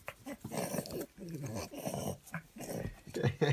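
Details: A male French Bulldog gives low, rumbling, grumbly playful growls while being tickled, with a person talking over him.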